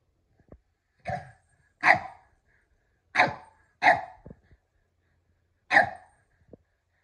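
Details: Kumo the Keeshond, excited while playing over a red ball with Sully the Boston Terrier, gives five short, sharp, broadband barks, spaced unevenly across about six seconds, with quiet in between.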